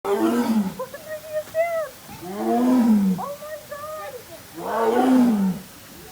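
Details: A tiger at a zoo gives low, drawn-out moaning calls, each swelling then sliding down in pitch, in three heavy bursts a couple of seconds apart with faint background murmur.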